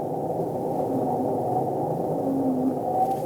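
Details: North Atlantic right whale contact call, an 'eeyop' saying 'I'm here' to whales up to 10 miles away, picked up by a monitoring buoy off Maryland's Atlantic coast: faint low tonal sweeps, one clearer rising near the end, under steady loud underwater hiss.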